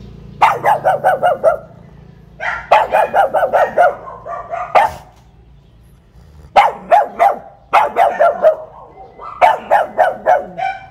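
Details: A young pet pug, newly given and kept caged at the front door while still unused to its new home, barks at a teasing visitor in quick bursts of six or seven sharp, yappy barks.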